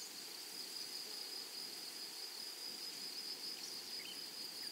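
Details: An unbroken, shrill insect drone in a flowery meadow of grasshoppers. The tone stays high and even, with only slight flickers of louder pulses and a quiet rustling background.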